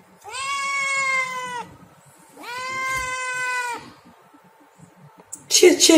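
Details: Hungry kitten meowing for food: two long, clear meows, each rising slightly at onset, holding, then falling, about a second and a half apart, ending with a burst of rustling noise.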